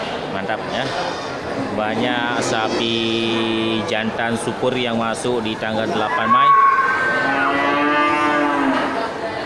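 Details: Local cattle, many bulls ready for slaughter, at the crowded Geulumpang Payong animal market on 8 May 2021. A low drawn-out moo holds steady for about two seconds amid busy chatter, with a higher rising call near the end.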